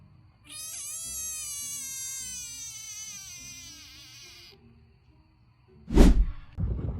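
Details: Frog featured in a ranked compilation of funny frog sounds: a sustained, high, harmonic squeal lasting about four seconds with a slight waver, fading out. A loud thump and a noisy burst follow near the end.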